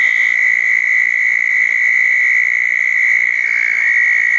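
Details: Southern toads at small backyard-dug ponds after a thunderstorm on June 10, 2014, night: a continuous, level high-pitched trill runs throughout, steady in loudness, with faint higher buzzing notes briefly at the start and near the end.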